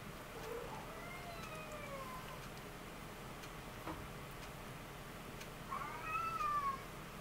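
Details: Ragdoll cats born 20 February 2015, kittens nursing in a hammock; thin high mewing calls, a few rising-then-falling whistly cries early on and a louder drawn-out mew near the end, over steady low background hiss indoors.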